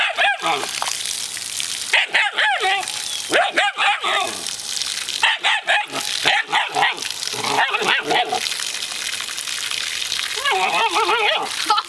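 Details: Sasha, a newly adopted dog scared of the water, barking at it; high yelping barks in quick irregular bursts, several per second at times, with running water behind.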